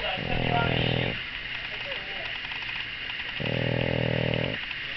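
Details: Pug mother named Daisy snoring loudly while her six-day-old puppies feed: two long, low, rasping snore breaths about three seconds apart, each lasting roughly a second, with faint squeaky sounds in the quiet gap between.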